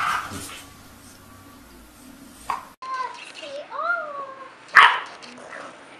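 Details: Dog named Marshall, asked by a woman whether he is mad at mommy, answers with wavering, sliding whines and a grumbling howl that rises and falls, followed by one sharp bark.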